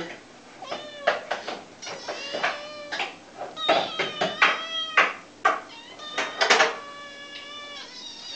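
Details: Hungry kitten meowing loudly and insistently for food, high harmonic mews, many rising then falling, repeated in quick bursts with short pauses, some overlapping, plus faint handling noises.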